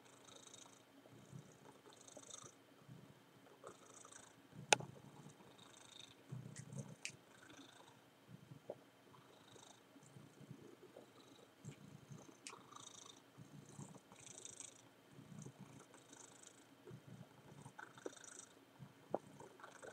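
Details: Male domestic cat mounting his well-worn teddy bear, purring softly in low rumbling pulses that come and go about every second, mixed with scratchy rustling of fabric and a few sharp clicks.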